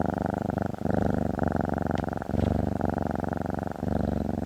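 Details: A cat, female, lies on a desktop and purrs: a steady low thrumming drone, rising and falling with each breath, with a faint tap in the middle.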